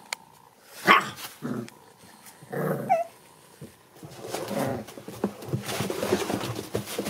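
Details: American Bully puppies, a litter of seven born December 8, 2019, give a sharp rising whine, short growly bursts and a squeak, amid scuffling and rustling as they play together.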